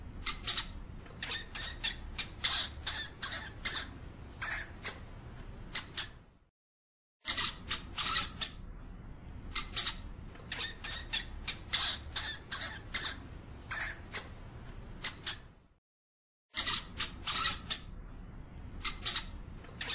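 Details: European hamster (Cricetus cricetus), squeaks.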